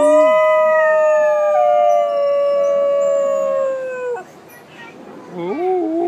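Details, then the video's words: New Guinea singing dog at Palm Beach Zoo, captive: a sustained, smooth, slightly falling howl with strong overtones lasting about four seconds, breaking off, then a short wavering, rising yelp-like wail. "More new Guinea Singing Dogs"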